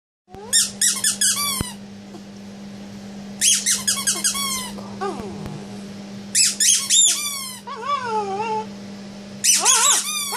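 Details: Small male Bichon Frise cross indoors, 'talking' while arguing over a toy zebra: four bursts of high, squeaky, yodel-like whines at roughly three-second intervals, with softer wavering moans between, over a steady electrical hum.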